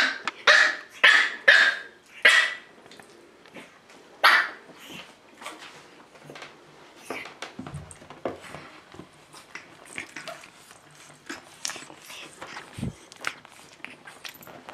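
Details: Pekingese puppy, eight weeks old, opens with a quick run of four or five sharp, high barks in two seconds, one more bark follows, then quieter scuffling and small squeaks indoors.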